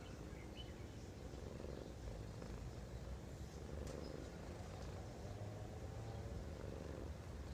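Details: Sleeping cat recorded up close, purring or snoring: a steady low rumbling purr that swells and eases in breathing cycles about every one and a half to two seconds, with a faint chirp near the start.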